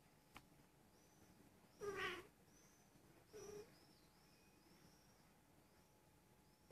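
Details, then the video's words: Almost one-year-old female Persian cat, possibly in heat, mewing while rolling over; two short, soft meows a second and a half apart, with faint high chirps in the background. "Persian cat in heat"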